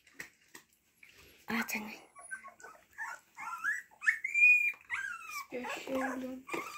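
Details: Indoor Husky puppies give piping whines, one long arched squeal standing out near the middle, mixed with human voices talking over them.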